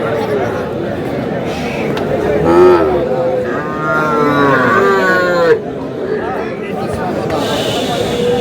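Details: Sahiwal bull calf at a Chattogram cattle market in Bangladesh, recorded 26/4/26 while farmers buy calves: a drawn-out moo, lowing twice with rich harmonics over steady crowd chatter and men bargaining.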